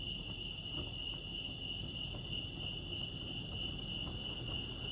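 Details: Continuous high-pitched cricket chorus recorded at Lake Arrowhead in California, an unbroken shrill ringing tone over soft low-frequency background murmur.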